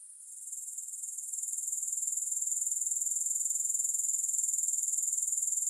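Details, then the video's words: Grasshopper chorus, free of music, swelling from faint to full: a thin, very high-pitched continuous buzz pulsing about four times a second, holding steady once it builds. "Grass Hopper Sounds"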